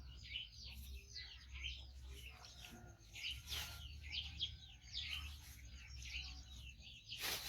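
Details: A hungry five-month-old rescued baby monkey, male and with one foot lost to a trap, keeps up a string of sharp, high chirps while awaiting food. Low background hum and brief noises are also heard.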